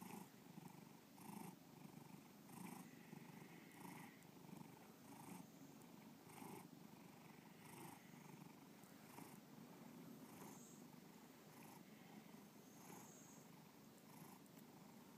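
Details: Continuous purr from Bubba the house cat, a deep low throb broken into rhythmic breath cycles about every one and a quarter seconds, with faint higher hissy accents on each pulse.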